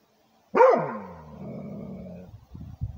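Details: One deep, forceful bark from a Rhodesian Ridgeback guarding its territory, trailing into a low drawn-out growly tone, followed by a few soft scuffling knocks.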